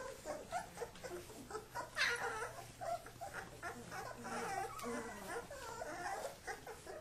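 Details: Kuvasz puppies at play-fight, supervised by their father: short whimpers, yips and grumbling growls overlap with scuffling, one sharper yelp standing out midway.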